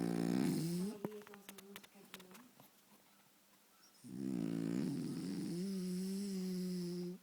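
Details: French Bulldog Faro, deeply asleep before the television, gives a loud, buzzy snore that fades into soft clicks and snuffles, then a second long, droning snore with a steady hum.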